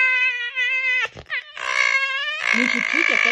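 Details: Red fox; whining vocalization; standing her ground, defensive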